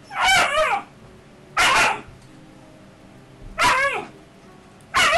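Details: A 9–10-week-old Alaskan Malamute puppy in Calgary, Canada, gives high, whiny yips and squealy barks during rough play fighting.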